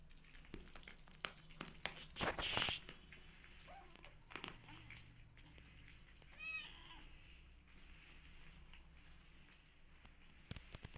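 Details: Rescue kittens heard as a single short meow, rising then falling, about two-thirds of the way through, set among scattered clicks, taps and handling noises with a loud broadband burst earlier.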